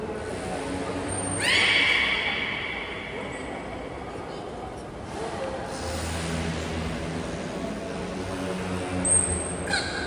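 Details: Captive belugas during a training session with every animal taking part at Port of Nagoya Public Aquarium, 16 November 2024. A long, steady harmonic whistle lasts about two seconds over a constant murmur of crowd voices.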